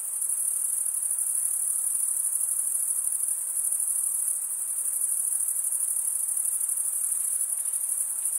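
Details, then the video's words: A continuous shimmering cricket chorus of stridulating males, very high and thin, steady in level with faint rhythmic pulsing and no other noises. "Most relaxing cricket sound"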